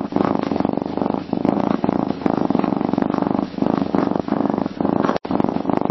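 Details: A cat purrs contentedly, a self-soothing sign of well-being; an even, buzzy low rumble with regular breathing swells and a short break near the end.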